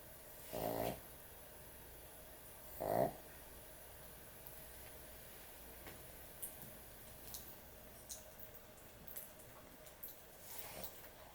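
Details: Sleeping dog snoring heavily at bedtime: two loud, harmonic rasping snores about two seconds apart, then only soft faint breaths and small clicks in a quiet room.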